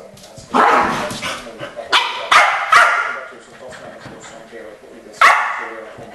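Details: Barking from the Keeshonds Charlie and Fiffi: a cluster of loud, ringing barks in the first three seconds, a pause with faint voices, then one more sharp bark.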